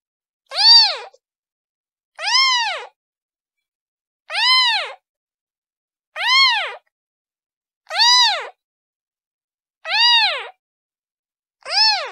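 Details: A kitten cries out for its mom in a steady series of seven bright, arched meows spaced about two seconds apart, each rising and dropping in pitch, against silence.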